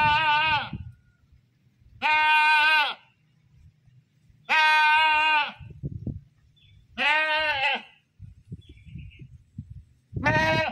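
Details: Loud, quavering goat screams come about every two and a half seconds, five in all, with faint thumps and low background noise between calls.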